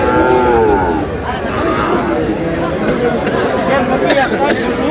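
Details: Sahiwal bulls at a crowded cattle market on 14 February, with a Narayanganj farmer buying: a long harmonic moo opens the first second, then men's chatter and market hubbub take over.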